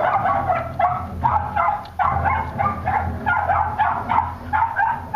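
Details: A Cairn terrier and a West Highland terrier give a steady, insistent run of short, sharp, mid-pitched, slightly rough barks and yips, two or three a second, over a low background rumble.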